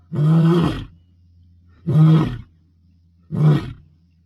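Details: Dominance roaring by a wild Bilashaka male lion, Masai Mara, 22 May 2025: three short, heavy grunting roars about one and a half seconds apart, fading between bursts, over a faint low droning hum.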